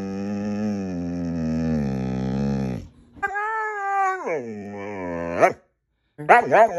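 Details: Siberian Husky Mooner, asked where to go camping, gives a long sustained moaning howl of nearly three seconds, then a warbling vocalization that rises and falls, and short wavering yelps after a brief pause; faint music.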